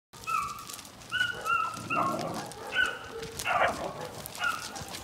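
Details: Presa Canario dog, April 2020, giving a series of short, high, tonal whines with a clear overtone, some flat and some bending, spaced irregularly over a few seconds against light background noise.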